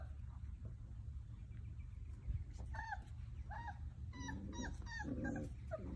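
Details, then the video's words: Basset Hound puppies playing let out scattered high squeaky whines and yips, sparse at first and then crowding together near the end, over a steady low background hum. "Basset hound puppies"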